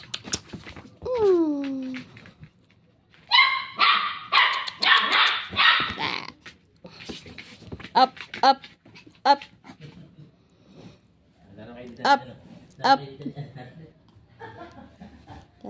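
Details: New pet dogs Tanggol and Santino, a Shih Tzu and a Labrador; a falling whine opens, then a rapid burst of sharp yapping barks, followed by scattered single yips and clicks, with faint voices in the background.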